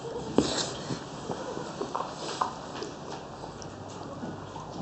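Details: A three-week-old French Bulldog puppy in Oyabe, Toyama Prefecture, Japan, whose legs are slowly steadying, lets out a few brief, thin whimpers and yips, scattered across a few seconds over steady indoor background noise.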